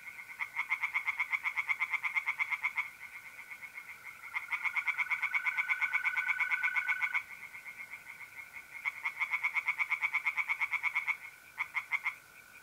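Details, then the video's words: Singing tree frogs on an April night in a north-east Italian pond: three long runs of rapid rattling croaks, each several seconds, with brief gaps filled by the continuous trill of mole crickets. "relaxing singing tree frogs in pond and trilling mole crickets by night"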